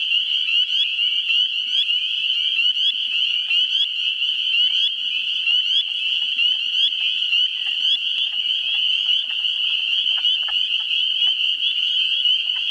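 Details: Dense chorus of spring peepers in a swamp in New Hampshire, first week of April. Shrill, high peeps overlap into a steady ringing wall of sound, with faint wood frog clucks scattered underneath.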